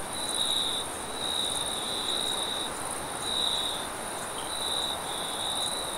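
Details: Crickets chirp late at night in a steady, high, shimmering trill that swells and fades in slow pulses.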